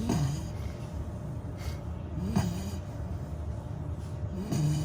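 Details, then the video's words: Gong-ju, a sleeping Labrador retriever puppy just over 100 days old, snores softly indoors: a low, continuous rumbling breath with brief rasping snorts at about two-second intervals. "리트리버 코골이"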